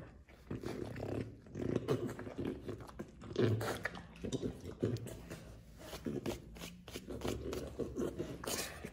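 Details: French Bulldog begging, giving low, throaty grumbling vocalizations in uneven bursts, with a stronger growl-like moan near the middle, over a steady low hum.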